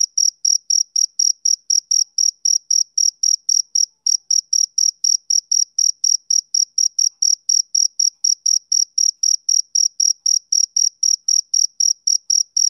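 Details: High, clear chirping from a male cricket, a soothing summer-evening sound: short pulses repeating quickly and regularly, around three to four per second, in otherwise total quiet.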